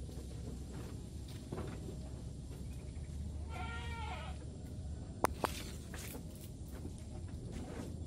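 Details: An active kampung goat gives one short, wavering bleat with stacked harmonics near the middle, set against a steady low rumble, rustling footsteps and a couple of sharp clicks.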